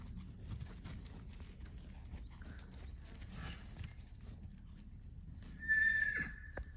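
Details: Kiso horse foal a few days old, at a Kiso horse farm in Japan on 8 June 2023, gives one short, high, wavering neigh near the end, after quiet stretches of low rumbling background noise.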